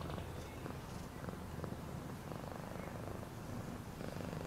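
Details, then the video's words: Continuous low, even purr from a domestic cat, a soft rumbling pulse with little else audible above it. "Cat purring sound for healing"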